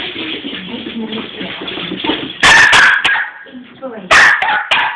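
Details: Excitable six-month-old Cairn terrier and Westie cross letting out a quick double bark, then another sharp bark about two seconds later, following low chatter from people nearby.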